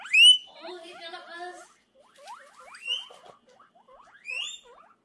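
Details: Guinea pig screaming with high rising squeals, a burst of chattering mid-clip, then softer upward-sweeping squeaks and a final loud squeal.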